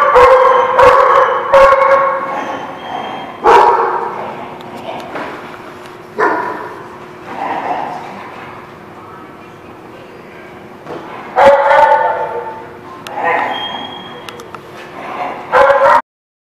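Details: Barking lot dogs on 16 January 2017, giving repeated loud clusters of overlapping barks and yips that swell and fade, with quieter gaps of distant barking between the bursts.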